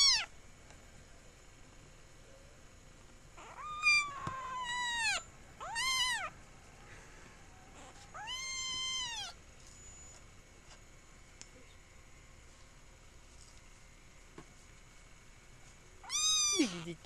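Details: Kitten Dante mewing: a drawn-out high meow opens, then three quick meows around the fourth to sixth seconds, a longer wavering one later, and a final sharp meow, separated by quiet stretches.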